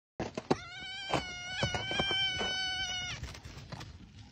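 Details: Arctic fox being petted by its owner, giving a long harmonic whining call with a steady tone, broken by sharp clicks and knocks, ending after about three seconds into short noisy bursts.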